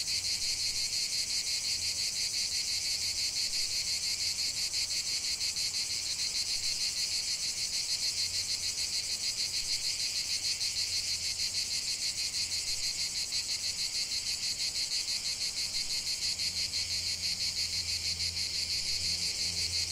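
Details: Steady chorus of singing cicadas in nature, a dense sizzling high drone rapidly pulsing throughout, with a faint low humming in the background.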